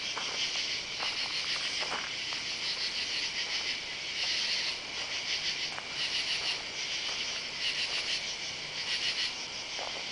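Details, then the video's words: Night chorus of katydids among yard oak trees on July 31 in summer: loud, scratchy high buzzing in repeated rhythmic bursts from several insects at once, with occasional soft thuds of footsteps on a driveway. "Katy-dids (insect)"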